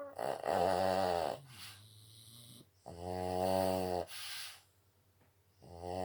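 A Boston Terrier snores loudly, each long rattling, buzzy breath repeating every few seconds.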